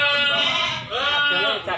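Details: Goats, breeding does and kids, at the Silir Semanggi livestock market in Solo, Indonesia: a loud, quavering, harmonic bleat held almost a second, then two shorter wavering bleats, with people talking nearby.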